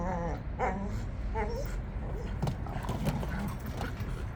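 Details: Jindo dogs on a walk give several short, tonal whimpers and whines in the first seconds, over steady low rumbling noise from outdoor movement.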